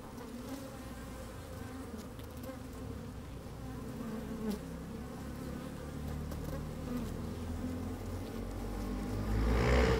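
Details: Inside an open honey bee hive on a sunny day, bees moving and buzzing: dense low hum that swells toward the end, where a loud rushing blast of wind or handling noise rises.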